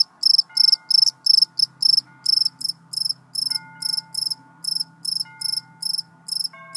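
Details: Loud cricket calling in quick, evenly spaced chirps, each made of several rapid high trills, repeating roughly three times a second. Faint thin steady tones sound in the background.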